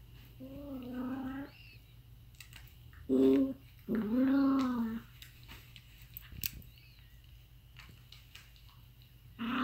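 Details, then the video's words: Aardvark giving weird sounds: a few drawn-out, tonal whining moans, the first rising slightly and the later ones arching up then down, separated by quiet gaps with faint background clicks. "Weird sounds from Aardvark"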